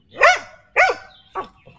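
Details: A dog pleased with today's weather barks three times: two loud, evenly spaced barks about half a second apart, then a shorter, softer third bark.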